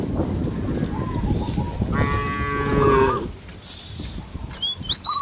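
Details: Cattle roaming a village field, calling companions to return to the barn: one long harmonic moo about a second long, rising then sagging, with short whistled bird notes around it and a steady rural background hum.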